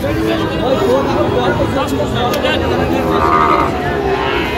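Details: Sahiwal bull calves at the Tihi Ambari cattle market in Dinajpur district, Bangladesh; low drawn-out mooing rises through the market din, mixed with voices, traffic and a busy outdoor crowd.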